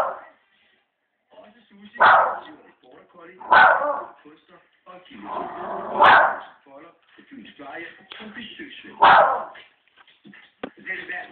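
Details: Family dog going crazy at dogs shown on a TV program, giving five loud, sharp barks spaced one to three seconds apart over television chatter.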